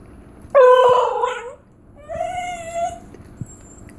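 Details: A female Basenji/Whippet mix yodels twice, a wavering, harmonic-rich vocalization in place of a bark, made when she sees someone at the treat jar without being given a treat.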